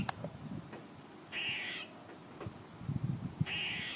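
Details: Squirrel making noises: two harsh, buzzy, half-second bursts with a faint whistled tone inside, about two seconds apart, over low rumbling background and soft clicks.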